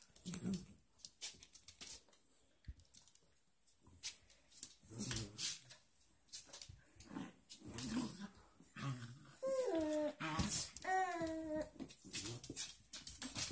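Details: Dogs Destiny, Hope and Bea in their bed indoors in a small room: soft low grumbles and rustling, then short falling whines with clear harmonics near the end, with a little human speech.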